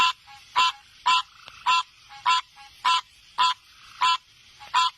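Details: Frog calling with short, nasal, honking notes repeated steadily about twice a second. Each note is rich and buzzy, with little else heard between calls.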